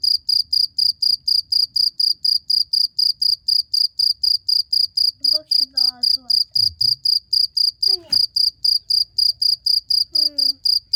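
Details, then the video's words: Steady, shrill cricket chirps repeated about four times a second throughout, with short bits of human speech in the second half. "CIRCIR BÖCEĞİ'nin sesi neresinden çıkıyor?"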